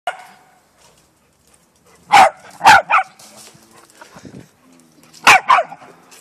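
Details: Bernese mountain dog puppy playing with a Jack Russell terrier, giving short sharp barks in two bursts: three quick barks, a pause, then two more. Quiet between bursts, with brief human speech nearby.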